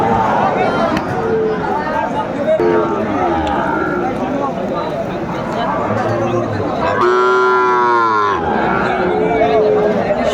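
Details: At a Bangladeshi cattle market in Comilla on a Tuesday in August 2024, a market selling six-month-old Sahiwal bull calves: men haggle over prices, then a loud, rich moo rises and holds for over a second before the chatter resumes.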